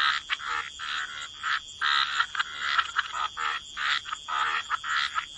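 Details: Frogs croak in a quieter waterside chorus, rough buzzy calls spaced about every half second and overlapping, with a thin high steady hum.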